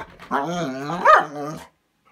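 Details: Manda, a Bernese Mountain Dog left inside a cabin while others go for a walk, protests that she wants to join: a single drawn-out harmonic moan that rises, swells into a louder yowl near the end, then fades.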